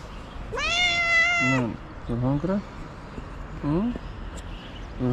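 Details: Early-morning stray cat in Morocco begging for food: one long, loud, wavering meow lasting over a second, then several shorter rising mews spaced about a second apart, with faint street rumble behind.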